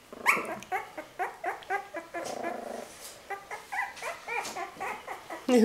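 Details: Litter of dog puppies; rapid series of short, high yelping barks and whines, several voices overlapping, with a brief human voice and a loud close bark at the end.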